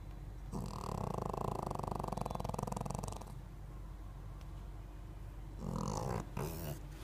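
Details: Pekingese dog snoring: one long, fluttering, rattling inhalation of about two and a half seconds, then a quiet gap and shorter snuffling breaths near the end.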